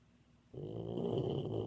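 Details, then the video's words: Boxer puppy asleep and dreaming, snoring: after half a second of quiet a low, raspy, rattling snore begins and holds steadily to the end, with a faint thin whistle-like tone above it. "Boxer puppy snoring and dreaming."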